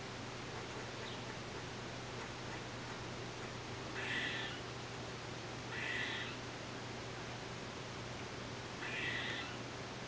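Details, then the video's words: Eastern gray squirrel recorded on a Nikon D3500 with a Tamron 500mm lens: three rasping, wheezy calls spaced roughly two to three seconds apart, with a steady low background hum. "Gray squirrel sounds"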